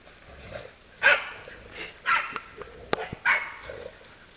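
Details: Hounds hunting wild boar bark in loud, hoarse bursts spaced about a second apart, with sharp yips between.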